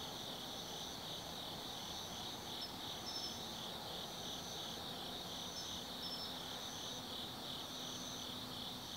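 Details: Autumn insects at night in the Tsukimi Forest above the Nobi Plain, Kaizu, Gifu, Japan, viewed from 180 m up: a steady high buzzing chorus with pulsed bands around 3 to 5k, overlapping trilling callers, faint low hum beneath.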